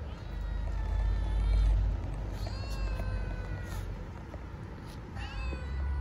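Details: Starving stray kittens living on the street in Istanbul, meowing for food and affection: several thin, high, falling meows spaced a few seconds apart, over a heavy, constant low outdoor rumble.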